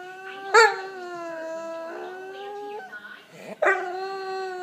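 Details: Ignored Staffordshire Bull Terrier giving funny noises: a sustained nasal whining howl held steady for nearly three seconds, then a second louder yelping whine that levels off.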